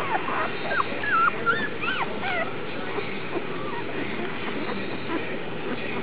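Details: Litter of Vizsla puppies, the Alphabet Soup litter on Aug 1, giving rapid high yips and whines, bending squeaky notes crowded in the first half and then fading into softer scattered whimpers over constant hiss.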